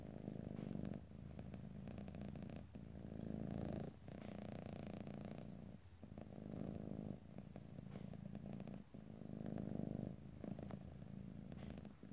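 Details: Pet cat's purr recorded up close in stereo, no talking: rhythmic low rumble, each inhale and exhale lasting about two to three seconds, separated by short quiet gaps.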